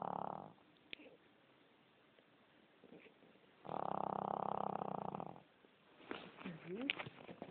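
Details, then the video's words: A fat dog snoring: two long, rasping, noisy breaths about three seconds apart, each lasting over a second, with quiet gaps and a few faint clicks and shifting sounds near the end. "Snoring Fat Dog"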